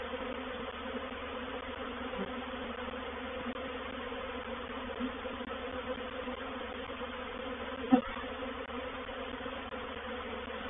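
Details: Reproductive swarm of honey bees moving into a bait hive at Painted Peacock Manor on 04/07/21, heard as a steady, dense hum with a strong band near the lower midrange and a single sharp click partway through.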